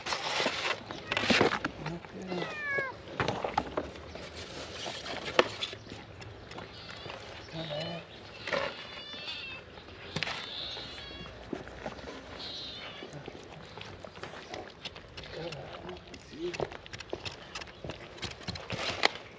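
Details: Stray cats coming out of green grass toward their caretaker to be fed; several short wavering meows, some rising then falling, sound in clusters over rustling footsteps and a person speaking nearby.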